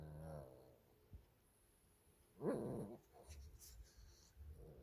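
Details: Shih Tzu brothers tussling over a stuffed toy on 13 March 2024: a brief low growl at the start, then a sharp, harsh snarling burst midway, with quiet scuffling between.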